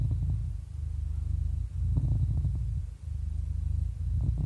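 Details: Happy 11-year-old cat purring: a steady, deep rumbling purr that pulses continuously, with brief dips in loudness near one, two and three seconds, and no other sounds.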